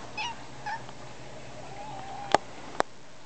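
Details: Pet cat named Shugah, the youngest of a household's cats, indoors while being greeted; two soft short meows near the start, then a faint drawn-out tone and two sharp clicks, with quiet room hum.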